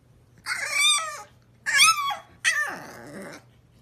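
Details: A French Bulldog with blue eyes 'talks' and sneezes. Two short, bending, whiny yowls are followed by a harsher, noisier burst that trails off into a low grumble, all over a faint electrical hum.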